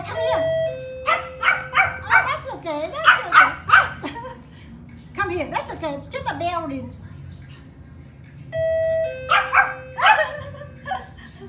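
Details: A tiny Pomeranian barking in alert at a doorbell; two-tone chimes ring twice, each followed by rapid, sharp yappy barks, with a woman's soothing voice between.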